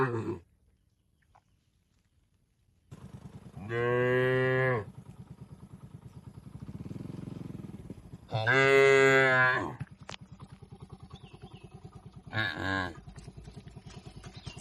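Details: Tame cattle in a rural shed giving three moos at uneven intervals, the middle one longest and loudest, with a steady motor hum and faint rattling underneath.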